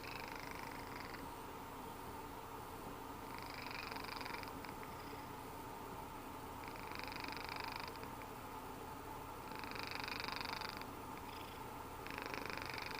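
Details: A napping cat snoring, with a soft continuous rumbling purr-like texture and hissy breathy bursts recurring about every three seconds, quiet indoor setting.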